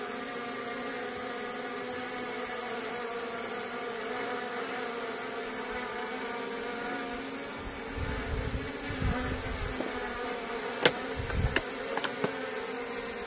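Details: Buzzing of a wild honey bee colony as honey is taken naturally in a plantation, a continuous even drone with stacked tones, later joined by rustling and sharp clicks from handling near the end.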